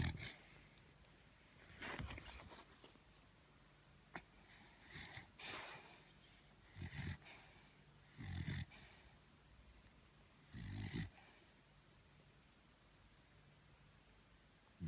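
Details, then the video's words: Thor, a pet beagle, sleeps tired and snores: soft, breathy rasping snorts with a low rumble, coming in irregular bursts every two to three seconds, separated by quiet stretches in a small indoor room. "Торун храпун! 😴Собака спит, она устала."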